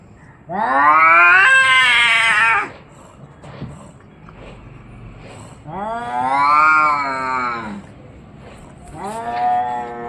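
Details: Orange and white domestic cat giving three drawn-out, whining meows, each rising then falling in pitch with rich harmonics: two long calls of about two seconds, then a shorter one cut off at the end, with quiet pauses between.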